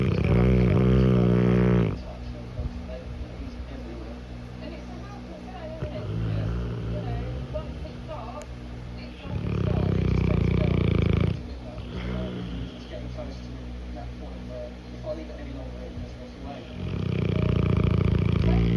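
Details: Cane Corso napping and snoring, three deep, buzzing snores spaced roughly eight seconds apart, each about two seconds long with a rapid flutter, separated by soft breathing and faint distant voices.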